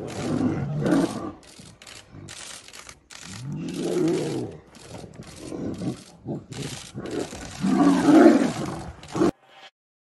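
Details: Male tiger fighting another male tiger: deep rumbling roars and snarling growls in several bursts, with arched tonal roars near the middle and a loud harsh roar toward the end, broken by crackling noise.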